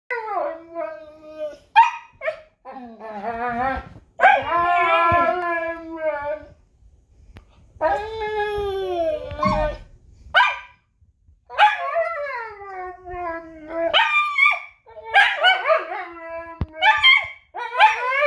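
A husky trades wavering howls and yodelling yelps with a wolf in a back-and-forth exchange.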